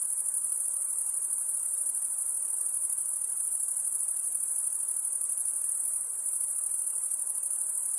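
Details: Shrill, unbroken cricket chirring at night, rapidly pulsed and steady throughout, with a small dip in loudness about three-quarters through and quiet hiss below.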